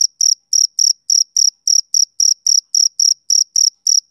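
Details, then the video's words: Male cricket chirping: short, high, buzzy pulses repeated steadily about four times a second, sharp on-off rhythm, no other sounds. "Cricket Chirping Sound Effect"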